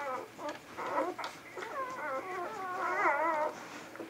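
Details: Vizsla puppies in a litter, filmed indoors on 10 January 2013, giving wavering whimpers and whines, several overlapping high squeals rising and falling, loudest near three seconds, in a small quiet room.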